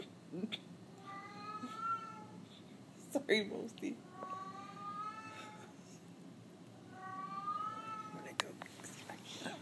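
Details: Cat meowing in the dark, giving three clear, drawn-out tonal meows spaced a few seconds apart, each steady then gently falling, with sharp knocks between them and a soft room hum.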